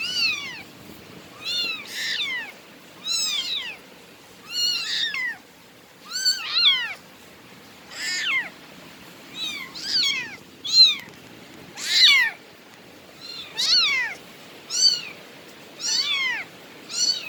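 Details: Bengal cat meowing repeatedly, about thirteen brief high-pitched mews spaced roughly every 1.3 seconds in a steady insistent series, with a faint background hum and no other clear sounds.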